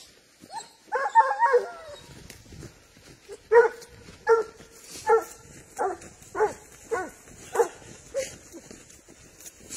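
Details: Spanish hound tracking wild boar: a cluster of wavering, howl-like cries opens, followed by evenly spaced, resonant barks roughly every second over a faint hiss.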